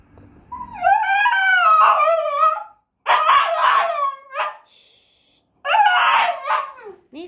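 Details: French bulldog crying indoors: three long, high, wavering whines, each lasting one to two seconds, separated by short pauses, with a brief low voice at the very start.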